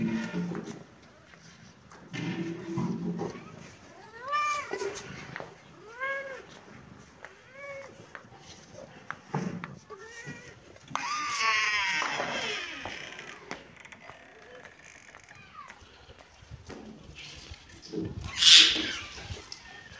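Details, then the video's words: Kitten and cat playing in a happy mood: a series of short, rising-falling meows repeated every second or two, a scratchy, noisy stretch in the middle, and a sharp high squeak near the end. "Baby kitten and cat playing 😺❤️-happy mood-kitten and cat meowing"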